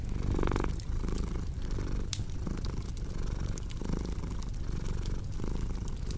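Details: A purring cat, deep rhythmic rumble with each inhale-exhale cycle marked, accompanied by intermittent snapping crackles of a fireplace.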